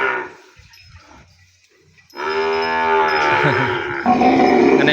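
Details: Penned calf bawling for its mother after weaning separation: quiet rustling and faint noises for two seconds, then a sudden loud, sustained, harmonic moo that swells further toward the end.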